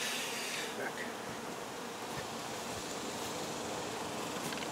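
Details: A dense, steady hum of many honey bees buzzing together during removal of their hive, with a broad hiss over it.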